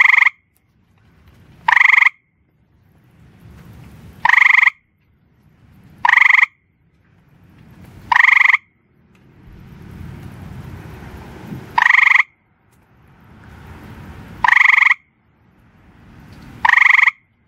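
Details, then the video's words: Single gray tree frog calling at night while perched on rocks on a back porch, giving short, loud pulsed trills about every two seconds, eight in all, with a soft low rumble of passing traffic between them. "Gray Grey Tree Frog Calling"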